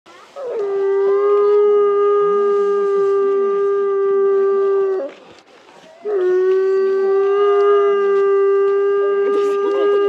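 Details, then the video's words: Timber wolves, three captive siblings, two sisters and a younger brother, howling at a zoo in Asahikawa, Hokkaido, Japan, in snowy winter before 2 pm; long steady tonal howls held about five seconds, a brief pause, then another sustained howl with overlapping voices. "冬季は遠吠え時刻も早め？ シンリンオオカミ"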